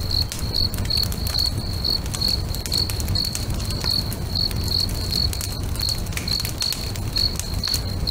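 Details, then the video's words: Crickets singing beside a crackling bonfire next to a lake at sunset: short bright chirps repeated about three times a second, steady and high, over continuous low fire rumble and sharp crackling pops. "FIRE & CRICKETS AMBIENCE"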